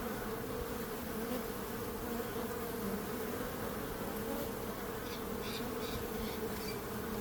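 Many bees hum together in a steady, low, droning buzz that never lets up.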